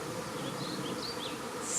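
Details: Swarm of honey bees moving into a bait hive baited with swarm lure, May 2019; a dense, even hiss-like buzzing of many bees fills the air, with no single insect standing out.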